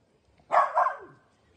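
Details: Two quick barks run together from a playful Dachshund. The second bark is slightly softer and trails off into a low fading tail over quiet background.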